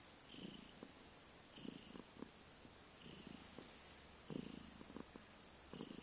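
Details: Cat named Vriendje purring loudly on 15 November 2011; coarse, low, snoring-like pulses come in breathy waves, around five swells, the fourth strongest, with soft airy hiss above.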